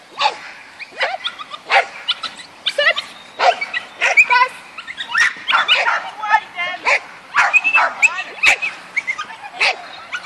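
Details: Yorkshire Terrier Linus at agility, giving sharp high-pitched barks and short tonal yips in quick irregular bursts, with some whining notes between them and human speech mixed in.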